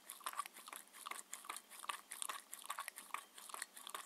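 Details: Indoors, Mindy, a 6-year-old Shetland Sheepdog on a raw food diet, chews her dinner. Bursts of crackly biting alternate with short lulls, roughly two or three bites each second, with no voices present.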